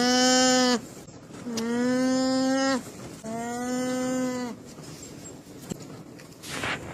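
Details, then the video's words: Alpaca voicing three drawn-out, steady, nasal humming tones, each about a second long and evenly pitched, separated by short pauses. "ALPACA SOUND EFFECT 알파카 울음소리"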